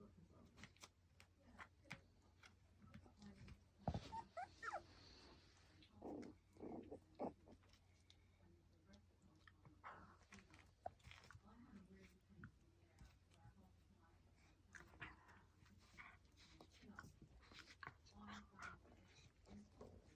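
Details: Lancashire Heeler puppies at Saturday afternoon playtime indoors, watched by their mother; soft growls, whimpers and short yelps come in bursts amid scuffling paws, clicks and knocks of rough-and-tumble play.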